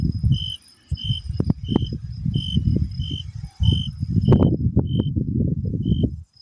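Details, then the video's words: Crickets in summer: nine or so brief, pure, high-pitched chirps at a regular pace of roughly one every 0.6 seconds, partly masked by loud low-frequency rumble and thumping. "nature is pleasant Crickets"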